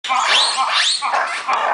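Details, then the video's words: Noisy monkeys at Opole Zoo: two loud, harmonic calls that sweep up and arch down, following one another quickly over a steady bed of crowd chatter. "Hałaśliwe Małpy w Zoo Opole - Noisy Monkeys in Opole Zoo"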